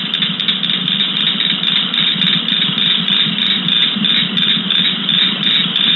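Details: Calling cricket frogs from the New Jersey Pinelands, heard mostly in summer: a continuous buzzy, comb-like rattle of quick clicks pulsing about three times a second, cricket-like in character, with no other sounds.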